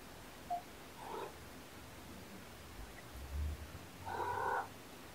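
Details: Shelter cat Olympia, surrendered with her three kittens born November 22, comfort-nurses and bathes them indoors; brief high mews near the start, a low soft rumble midway, then a longer harmonic kitten mew toward the end over quiet room hiss.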